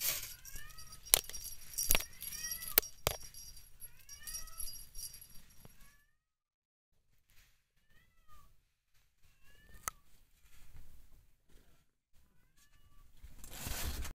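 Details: Blue point mitted Ragdoll kitten, recorded 06/10/2022: a run of thin, high, short mews that arch up and down, given in quick succession, with loud knocks and rustling early on, then softer scattered mews after a quiet stretch.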